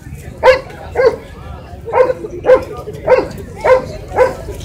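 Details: Shih Tzu dog giving short, sharp barks repeated roughly every half second to second, seven in a row with a steady rhythm over low background noise.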